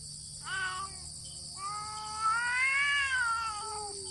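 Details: Fight between two cats that do not touch, just meow: a short whining yowl is followed by a long, swelling, wavering howl that rises and then sags. A constant high hiss sits in the background.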